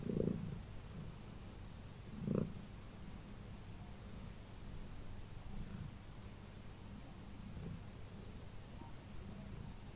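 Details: Pet cat purring contentedly while getting her everyday massage before bed: a soft, steady low rumble throughout, with a couple of brief louder breathy pulses near the start.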